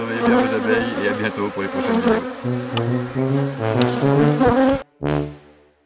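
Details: Honey bees at a drone-laying hive under rescue on 3 May 2021, after a brood frame with nurse bees from a not-so-gentle neighbouring hive was added; steady low droning hum with shifting harmonic tones, cutting off abruptly near the end.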